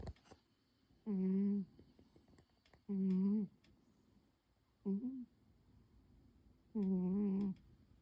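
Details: Pon, a pet cat, sleeps deeply curled up on its usual chair under the table on a quiet afternoon. It snores in humming, tonal breaths lasting about half a second each. The breaths come at irregular gaps of one to two seconds in a quiet room.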